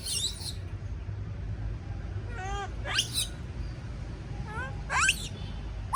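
A baby monkey screams in shrill, rising bursts, a distress call from being left alone.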